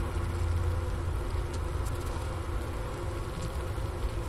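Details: Honey bee colony wintering in a hive at the Ohio State University Wooster campus, about 4 PM on January 16, 2024, at 15°F, captured by a Sony ICD-PX370 beside the inner-cover hole near a leftover sugar brick: a steady, low, droning hum with faint tonal bands.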